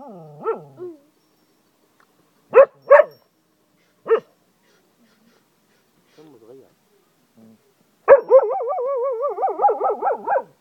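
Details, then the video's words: A Cocker Spaniel in Ajloun, Jordan, gives a few short yips, then breaks into a long, wavering, wolf-like howl. "zeeko the werewolf , cocker spaniel howls like a wolf,,lol"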